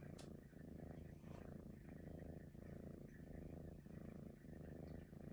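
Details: Maine Coon cat, a domestic pet said to whistle, purring steadily. The low rumbling purr swells and fades in breath cycles about every 1.3 seconds, with faint higher whistly tones over it and a brief click near the start.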